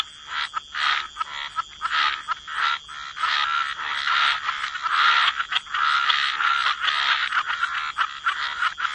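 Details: Wetland frog chorus, overlapping croaks running into longer rasping stretches with few gaps, louder toward the middle, over a faint steady high-pitched ringing.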